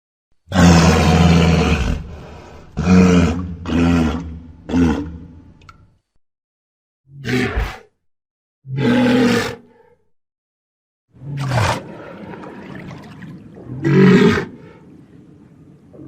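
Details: Walrus giving a series of deep, rough roaring bellows, each one to two seconds long with strong low harmonics, separated by short silences and a few sharper grunting bursts.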